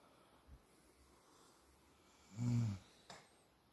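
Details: Sleeping American Staffordshire Terrier named Buba, indoors: one short, low snore near the middle of a quiet stretch, with faint soft snorts before and after.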